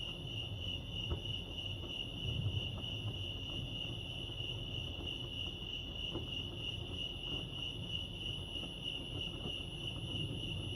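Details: Steady high cricket chirping at Lake Arrowhead, California, one unwavering trilled tone with a fainter higher overtone, over low background rumble and a few brief taps.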